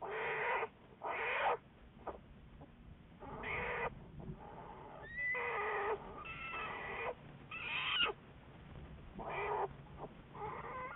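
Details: American black bear Juliet, recorded February 10, 2014 for Wildlife Research Institute studies: irregular, short, wailing cries with swooping pitch, interspersed with quieter rough, breathy passages.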